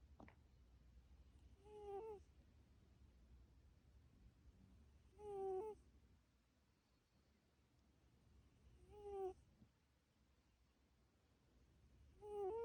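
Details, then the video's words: Pet cat Coco asleep and snoring faintly, each breath making a short whistly, wheezing tone that bends upward. Four of them come at steady intervals of roughly three and a half seconds over a low hum. "고양이 코골이 휘융휘융"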